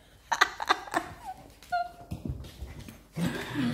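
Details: Siberian Husky pups Teddy and Blaze tussle over the same toy indoors: a quick run of sharp, high yelps, then a thin wavering whine, ending in rougher, lower grumbling noise, with laughter and voices in the room.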